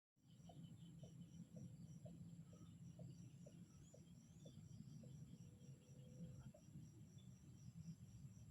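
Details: Frogs calling in a relaxing natural setting: a steady series of short, mid-pitched knocking notes about twice per second. Constant high insect trilling and a low rumbling background run throughout.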